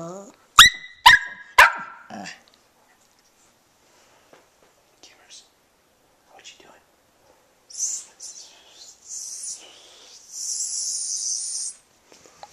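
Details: One-year-old Jack Russell Terrier and Shih Tzu mix at home with a rescued black terrier mix and a puppy, giving three sharp, tonal barks in quick succession, then quiet rustling and later higher squeaky yaps.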